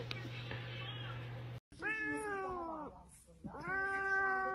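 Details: Domestic cat meowing indoors: two long, drawn-out meows that slide gently downward in pitch, separated by a short pause, after a low steady hum and a brief silence.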